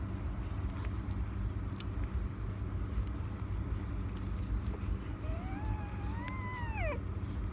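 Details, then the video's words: Newborn Siberian Husky puppies: after a stretch of steady low rumbling background hum, a single thin harmonic whine rises, wavers, then drops sharply near the end, lasting about two seconds. "Husky puppy newborns"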